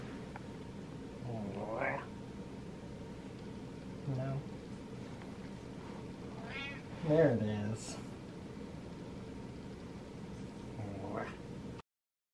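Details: Domestic cat indoors, impatient while waiting for its owner, lets out a few meows amid a person's speech and petting.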